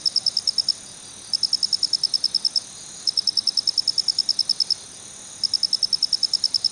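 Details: Male black cricket (Phonarellus ritsemai) chirping a sharp, high ticking 'kichi-kichi': bursts of about eight to twelve rapid clicks, separated by short pauses, against a quiet background.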